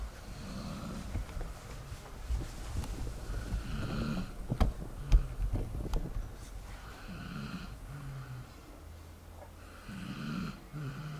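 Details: Dog asleep, giving deep rumbling snores roughly every three seconds, mostly low-pitched with faint nasal overtones and a few sharp clicks between breaths.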